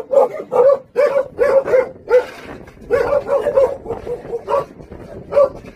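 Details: Jindo dogs at a local kennel on Jindo island, the Song Baekgu siblings, bark in quick clipped bursts, clustered pairs and triplets followed by softer, lower yaps and a final lone bark.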